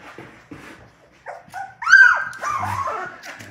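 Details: A Labrador Retriever puppy from a litter of six whines indoors after waking in the morning. Soft scattered murmurs build into one loud, drawn-out, high whine that rises and then trails off, with faint shuffling below.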